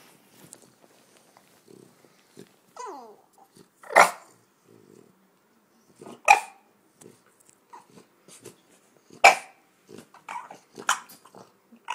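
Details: French Bulldog grumbling: short throaty grunts and snorty bursts spaced a few seconds apart, with a thin whiny squeal that bends up and down early on, then several louder rough grumbles and softer muttering sounds between them.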